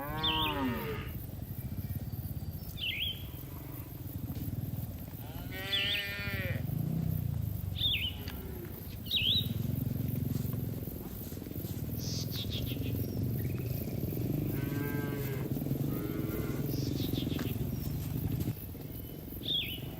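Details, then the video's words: A herd of cattle enjoys the grass in a green field. Several moos come one after another, some low and some higher and bending, while repeated sharp bird chirps sound in the background. "Suara Sapi Moo"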